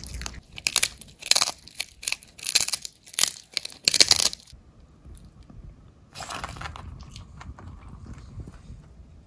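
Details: Dog named Som crunching dried haddock sticks: a run of rapid, crisp bites for about four seconds, then near quiet with faint hiss and a brief soft rustle before it fades again.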